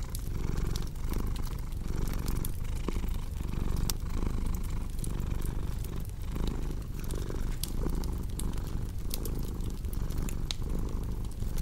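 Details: Cat purr as a continuous low buzzing rumble, gently pulsing with each breath, accompanied by a cozy fireplace whose crackles add quick bright snaps throughout.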